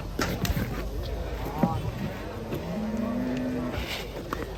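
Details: Agitated cattle unloaded from a truck give one drawn-out moo that rises slightly and holds steady for under a second, with people talking and handling noises around them.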